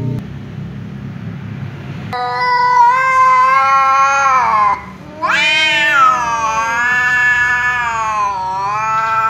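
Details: Angry tom cat meowing loudly at a ginger cat that keeps meowing; after two quiet seconds, a strong wavering wail, a brief pause, then a sharp rising cry sliding into a long quavering howl.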